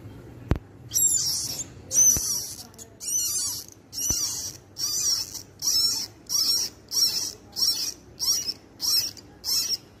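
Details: Newborn baby rabbit weeping: shrill, hissy high squeaks repeated in a steady train about once every seven-tenths of a second, with a few faint clicks early on.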